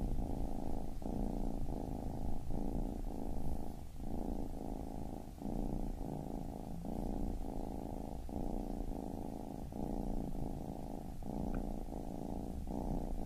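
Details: Rhythmic low purring from a baby kitten, each rumbling burst lasting under a second with short pauses between, quiet and even throughout.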